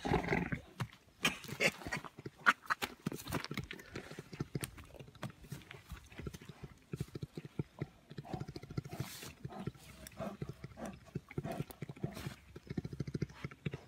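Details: A brown bear makes a low, rumbling purr in rapid rough pulses while playing with its carer, with faint human sounds nearby.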